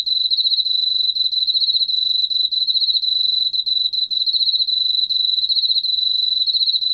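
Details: Steady high-pitched trilling of a Korean field cricket, a 2020 National Institute of Biological Resources recording: rapid pulses rolling on without a break for seven seconds, evenly loud, with only faint low rumble beneath.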